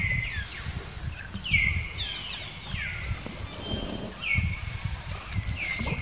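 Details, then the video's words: Baby monkey Jinx, a female, crying after being attacked by another monkey named Spring: repeated high, thin cries that fall sharply and then level off, about one per second, over low rumbling background noise. "Poor Baby Monkey Jinx Was Attacking By Spring Monkey, She Crying Seizure"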